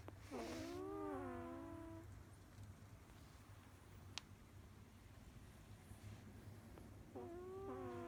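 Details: Sleeping cat snoring, with a long wavering whistled breath that drops then flattens, a quiet gap with one sharp click, then another whistled breath beginning, all over a steady low hum.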